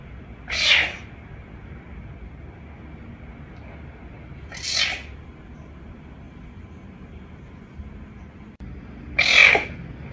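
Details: Caracal uttering three short, explosive, hissing spits, each under half a second, spaced about four seconds apart, against a low constant room hum.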